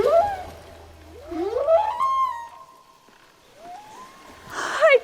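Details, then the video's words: Underwater humpback whale song, sounds that can travel hundreds of miles: sliding tonal moans that swoop up and level off into a sustained note, followed by another rising glide and a short rough burst at the end. "Yes, that's from a humpback whale. These sounds can travel hundreds of miles."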